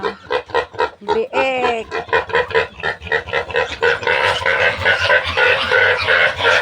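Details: Piglets of a new sow, being weaned, give rapid repeated grunting squeals, about four a second, with one rising, ringing squeal early on. The squeals grow denser and harsher toward the end, and people's voices are heard.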